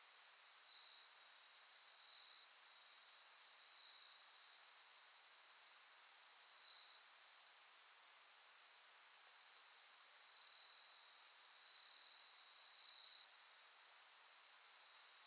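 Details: Autumn insects singing at night on Soni Highland in Nara, Japan, in late August 2021, with silver grass and the Milky Way overhead. A steady, high ringing chorus carries fast pulsed trills throughout. No other sounds stand out.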